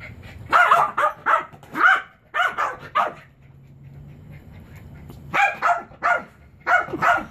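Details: Pet Chihuahua Beau barks while trying to reach his favorite frisbee on a chair indoors: bursts of sharp, high yappy barks in pairs and triplets, a pause of about two seconds, then more rapid barking.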